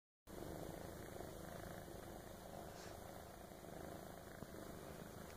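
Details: Kittens purring close by: a steady low rumbling purr running through the whole stretch without a break, with no other clear sounds.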